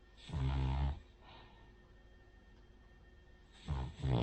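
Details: Asleep, the Cavalier King Charles Spaniel Rin gives a deep rasping snore, then quiet breathing for over two seconds before another snore starts in two quick rattling pulses.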